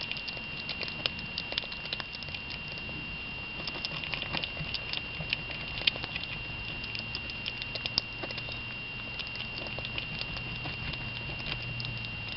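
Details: Pico, a pet squirrel, munches on his favorite meal, a home grown garden tomato: a steady patter of soft wet clicks and crunches through the whole recording, over a constant faint electrical hum and a thin high tone.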